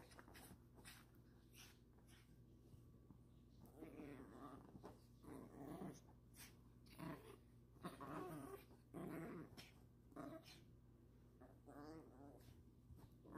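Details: Pet dogs, a Lhasa Apso and a toy Yorkie, playing on a bed indoors. Rough, growly bursts with harmonic tones come irregularly through the middle stretch, mixed with a woman's soft, praising voice.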